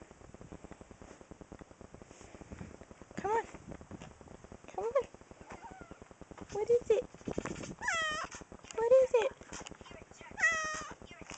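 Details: A pet cat, described by its owner as spoiled, gives about six drawn-out, arching meows, some rising then falling, spread over several seconds while a person talks softly to it, asking whether it is hungry.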